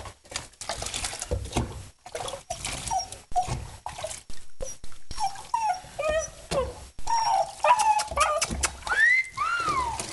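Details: Male low-mid content wolfdog named Mercy during his first bath, giving short rising whines and whimpers that climb into higher pitched cries near the end, with splashing water and a person's coaxing voice in between.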